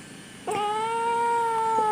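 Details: Kitten meowing indoors while being talked to and offered food: one long, steady, clear tonal meow with rich harmonics, holding level for well over a second in a quiet room.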